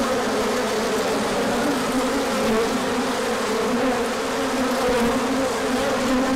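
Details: Many honeybees making a large orientation flight on 24 March 2024 as the sun returned after a colder spell, with pollen arriving: a thick, unbroken droning hum with wavering pitches from overlapping wingbeats.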